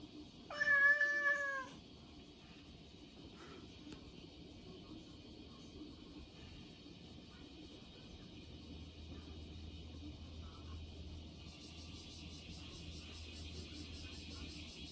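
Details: A short-legged red tabby and white Munchkin cat gives one clear, drawn-out meow that rises and then falls, followed by quiet room noise.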